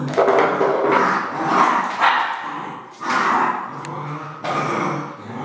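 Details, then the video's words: Red merle Border Collie barking in a series of loud, rough bursts, about four in five seconds, each harsh and broadband with short pauses between, no other clear sounds. "BC Red Merle - Barking"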